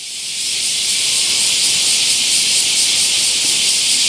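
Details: Bear cicada chorus in summer at Nagasaki's Daitokuji Park, Japan; a shrill, hissing drone rising in loudness over the first half second, then holding steady with slight rhythmic pulsing.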